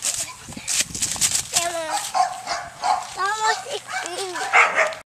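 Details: Shepherd dog available for adoption, wanting a toy thrown, making several high, wavering whines in short bursts while people talk over and around it.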